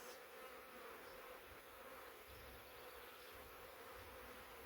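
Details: Huge honey bee swarm balled up heavily inside a swarm trap box, descended from a wild woodland hive; a continuous, even buzzing drone holds steady throughout with no other clear sounds.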